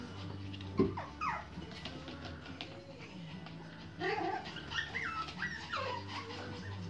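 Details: Merle Pomeranian puppies making thin, high whining squeaks that rise and fall in short bends, clustered near the start and again toward the end, over a steady low hum.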